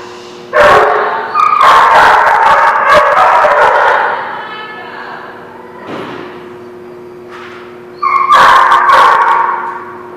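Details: At The Barking Lot on 2/11/17, dogs burst into rapid overlapping yips and barks, loud and tonal, then fall quieter before another sharp volley near the end. Faint human voices sound underneath.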